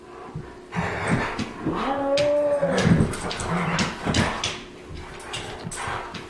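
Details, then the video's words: Pet rescue New Guinea singing dog giving its morning howl in short spurts, greeting the day rather than asking to play or go outside: a single clear, arching, harmonic-rich tonal howl of about a second, with soft tapping and thumps around it. "New Guinea Singing Dog Howl"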